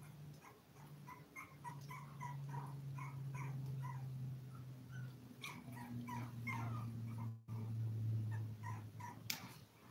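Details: Seven five-week-old toy poodle puppies indoors. Rapid, high, squeaky yips and whimpers tumble over one another above a steady low electrical hum, with a short dropout and rustles near the end.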